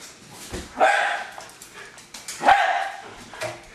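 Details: Hali the Jack Russell Terrier, a family dog, barking while attacking a remote controlled car: two strong, harsh barks about one and a half seconds apart, then a softer third, with a little background clatter.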